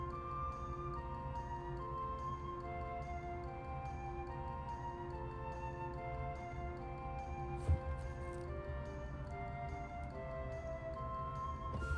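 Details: Soft instrumental background music with sustained flute-like notes and one brief knock, no animal sounds.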